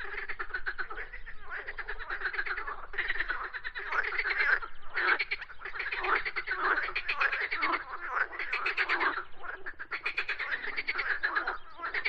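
Frogs croak in a dense chorus of raspy, rapidly pulsed calls that overlap almost without pause.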